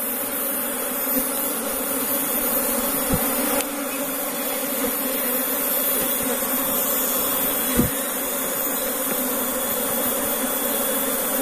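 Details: Newly relocated Asian honey bees (Apis cerana), brought from another area, returning into their hive box in Indonesia; a dense continuous buzzing hum with two faint thumps.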